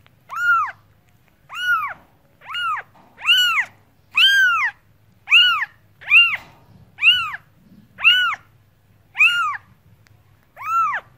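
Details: Domestic cat meowing in a steady series, about one arched, tonal meow each second, each rising then falling with rich harmonics; a faint low hum runs underneath.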